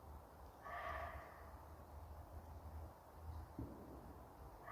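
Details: A deer gives one short, hoarse, bark-like call on a cold early-winter night around 9 pm, over low rumbling wind noise; it had been calling for 10 to 15 minutes.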